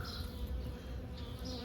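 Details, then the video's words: [1, 'Bees buzzing around a large cluster of white flowers in a garden where jasmine blooms at the end of winter, a steady low droning hum filling the whole stretch, with soft faint higher hiss above.'] "Regardez, regardez le bruit des abeilles."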